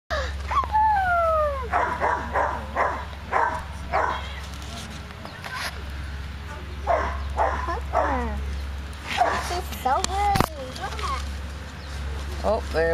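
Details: Six-week-old Bushland Terrier puppies wanting milk from their mother: repeated high, falling whines and yelps in rapid bursts, some sliding downward, with a person talking in between and a steady low hum throughout.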